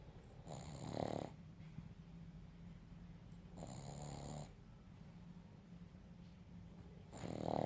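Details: Boston Terrier snoring in its sleep, three rough, buzzy snores spaced roughly three seconds apart with faint low breathing between them, in a quiet room.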